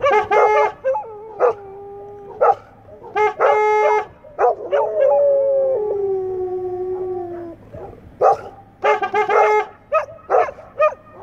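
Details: English Setters howling together, long sustained tones with strong harmonics, one drawn-out falling howl near the middle, broken by short bursts of yips and barks.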